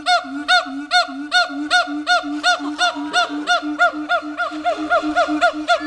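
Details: Two siamangs at Dubbo Zoo, Australia, show off with loud, ringing barks repeated in a fast, steady rhythm over a low droning note.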